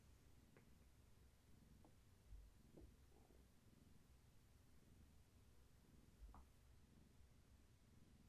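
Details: A pregnant long-haired tabby named Gaia is held steady indoors as she rubs against a person. Her purr is quiet and continuous, a low even rumble broken by a few soft clicks.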